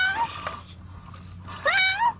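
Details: Trapped cat stuck in concrete inside a pipe gives two loud meows, one falling and one rising then falling, with steady low hum beneath and a brief click between the cries.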